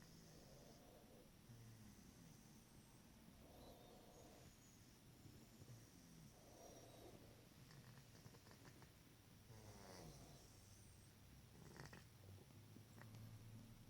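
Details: A soundly sleeping pet cat, a heavy sleeper, snores softly; low, breathy rasps swell and fade in a slow rhythm about every three seconds over a quiet indoor hum.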